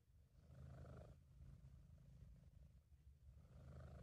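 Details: Relaxed, happy British Shorthair cat named Sabu purring: a dense low buzzing rumble, louder on one breath, softer through the next, then swelling again at the end.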